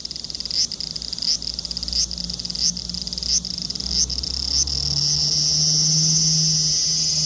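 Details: Large brown cicada with a high, pulsed sizzle that settles into a continuous loud hiss, over a low humming drone in the background.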